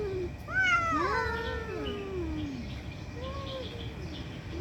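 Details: Cats fighting and angry: long wavering harmonic yowls that rise then slide downward, overlapping in two voices, followed by a shorter quieter wail over a low steady background rumble.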